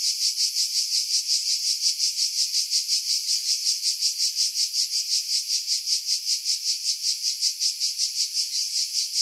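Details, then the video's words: On Skiros Island, Greece, in July 2018, cicadas in pines above Pefkos Bay give a continuous high-pitched rasping drone, pulsing steadily several times per second throughout. Wind noise was filtered out. "Cicada Sounds, July 2018 Skiros, Greece"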